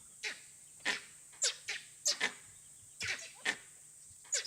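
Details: Langurs in trees in Barnawapara forest give harsh, coughing alarm barks in quick irregular bursts at a danger the observers cannot see, suspected leopard, wild dog or python; the alarm later eases as the threat moves away.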